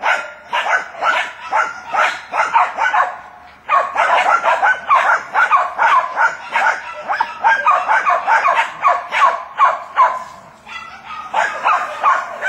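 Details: Jack Russell Terriers at work on a wild boar bark in fast, dense volleys of sharp yaps, several dogs overlapping, with a short pause partway through and occasional human voices.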